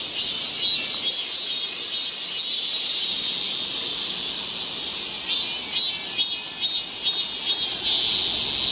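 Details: Many cicadas singing together in a Seoul park forest, Galsan Park, in midsummer: a shrill steady buzz that swells into rhythmic pulses repeating roughly twice per second in the second half.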